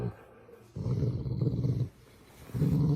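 A Labrador Retriever growls in low, rumbling bursts, warning that it is uncomfortable and wants someone to stop.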